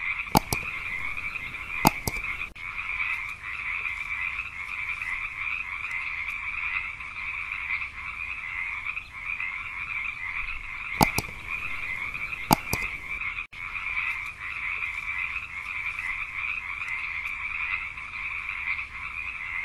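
A cane toad gives a continuous, even trill that holds steady from start to finish without pause. Several brief, sharp clicks break through at intervals.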